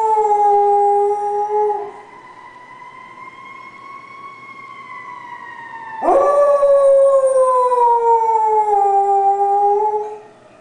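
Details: Pet dog howling in response to fire trucks: two long, smooth, sustained tones, the first holding steady then slowly rising, a pause, then a loud renewed howl sliding gently downward.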